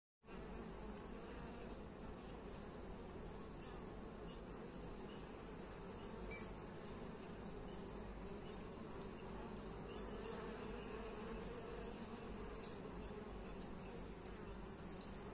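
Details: Western honey bees carrying pollen loads make a steady, dense hum of many bees buzzing together, low and continuous throughout.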